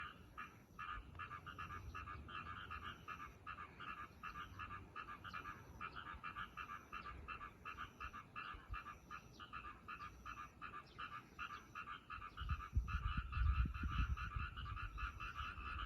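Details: Frogs croaking from a roadside ditch next to a railway line: a dense, fast chorus of rough pulsed croaks repeating steadily throughout, with a low rumble building near the end.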